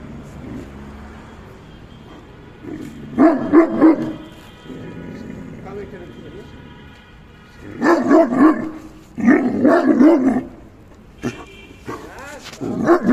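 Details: A Great Dane gives deep, rough barks in short bursts separated by pauses.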